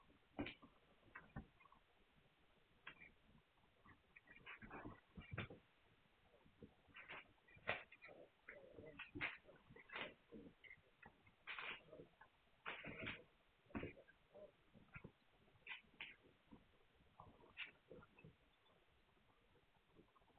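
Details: Litter of Hungarian Vizsla puppies, 9 March 2021, giving a busy run of brief high squeaks and little yelps, irregular and overlapping, some louder peaks among soft snuffling noises.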